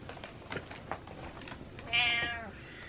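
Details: Pet cat named Butters meowing to wake its owner, one short harmonic meow near the end after soft indoor rustling and clicks.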